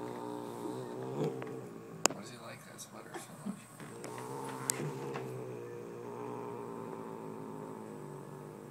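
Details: Domestic cat, a male pet possessive over a fuzzy sparkly sweater, growling angrily: low sustained harmonic moans with wavering pitch across the clip, broken by sharp clicks and rustling, with faint human voices.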